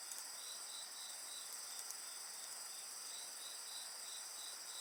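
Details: High shrill insect voices ring steadily together while a lower pulsed trill beats about three times per second; a few light crackles from a bonfire sound near the start.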